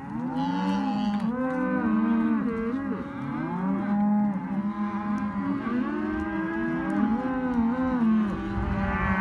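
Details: Hereford and white-faced calves penned together as a sale lot, calling almost continuously: many overlapping harmonic moos and bawls, some rising and bending, layered into a dense chorus with a steady low background rumble.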